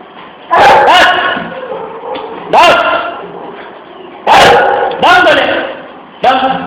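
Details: Three-month-old Great Dane puppy giving short, loud barks in pairs, with ringing harmonic yelps that rise then fall. The bursts come about every two seconds, with quieter gaps between them.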